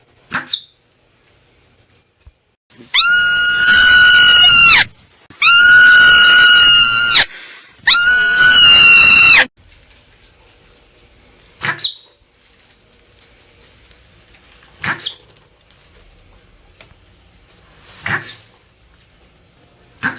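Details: Marmot letting out three long, piercing, harmonic screams in quick succession, then several short, sharp chirps spaced about three seconds apart over faint background hiss.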